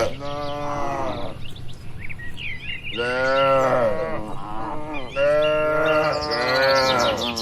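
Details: Three long, full moos spaced by brief quiet, from calm, tame cattle among dozens housed in a farm pen; light bird twittering sounds between them.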